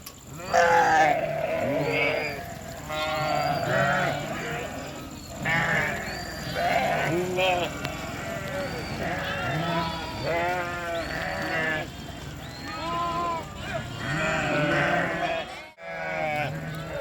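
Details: A flock of sheep and lambs bleating without pause. Many wavering, nasal bleats overlap and vary in pitch over a constant background rumble.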